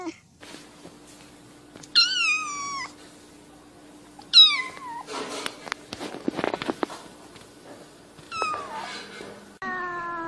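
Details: Cat meowing in a compilation of incessant meows: three short, high, falling meows spaced a couple of seconds apart, a burst of rustling or clattering noise between them, and a steady low hum beneath.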